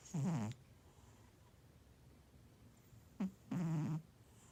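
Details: Sleeping domestic cat snoring; two loud, rough, low rattling snores about three seconds apart, each lasting under half a second, with quiet breathing between.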